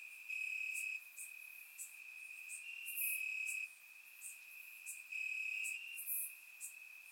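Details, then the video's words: Crickets chirping in grass, warm summer night, Bulgaria, recorded with a surround microphone: a bright, ringing trill with repeated louder pulses of about half a second, over quieter continuous chirping and occasional high ticks. "Cricket Sounds - Crickets Chirping at Night"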